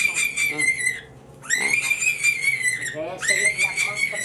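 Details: Angora rabbit on a fur farm, front paws tied while its fur is pulled out, giving three long high shrill screams, each about a second, sliding slightly downward, with voices and handling noise in a small room.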